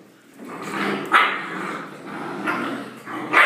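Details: Young Rottweiler puppies giving squeaky yips and small barks, a sharp high yelp then a rising whimpering bark at the end, with soft indoor background sounds.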